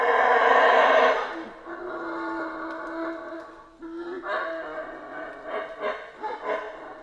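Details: Howler monkeys in a Central American rainforest: a loud, deep roaring howl in the first second, then a lower, sustained rumbling chorus that swells again in rough, pulsing bursts toward the end.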